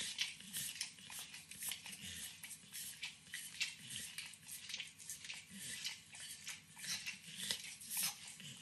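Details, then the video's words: Max, a 9-year-old Pit Bull, licks and nibbles overcooked bacon in a kitchen: wet, clicky smacks come in quick, uneven bursts, roughly one or two a second, against a quiet indoor room. "Max Licks & Nibbles Bacon | Dog Licking Sounds"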